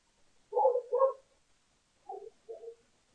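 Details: At a South African bird cam on June 20, 2015, a lesser bush baby comes for yogurt; two loud, rough mid-pitched bursts in quick succession, a pause, then two softer, shorter ones.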